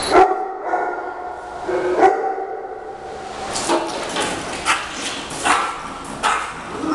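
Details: Playful fight among Shih Tzus at home as Heidi guards Frida, a newly arrived Yorkie, from the pack. Two clear yelping barks open, then a run of rougher, noisier barks and scuffling sounds roughly every second.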